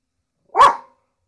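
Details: Single abrupt bark from a pet dog reacting to drums. The bark is short and punchy, with silence on either side.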